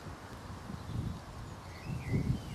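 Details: Ben and Faye, a Border Collie and a Whippet, playing tug-of-war outdoors. Low, rumbling growls come in two bursts, one near the first second and a stronger one near the end, over steady outdoor background noise with faint high chirps.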